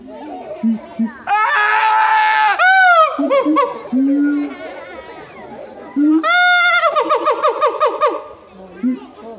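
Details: Siamang screaming at Higashiyama Zoo in a human-like way: two loud bouts of swooping, harmonic wails, each breaking into rapid pulsed hoots, with murmuring visitors between the bursts.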